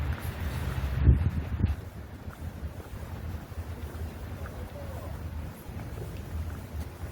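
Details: Low rumbling background noise with a few handling thumps near the start and faint indistinct voices; no animal sounds are heard.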